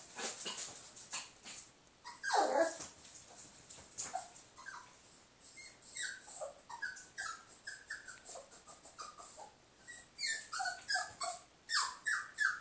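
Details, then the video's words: Pet dog barking at her reflection, giving a fast, irregular run of high whining yips and whimpers, some sliding downward, with one louder falling cry near the start; recorded indoors on a phone. "barking at her reflection"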